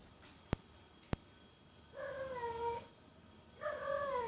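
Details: Two loud cat meows after a quiet start with two sharp clicks; each meow is a harmonic wail that slides slightly downward, lasting under a second, with faint room noise.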